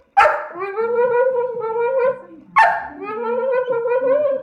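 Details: A Staffordshire Bull Terrier begs for leftovers from the dinner table, giving two abrupt barks, each stretching into a long, level, nasal howl lasting about two seconds, with a faint murmur of voices below.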